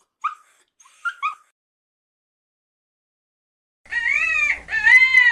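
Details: Puppy whimpering: a few faint short high yips, a pause, then two drawn-out, wavering, high whines that sag slightly in pitch.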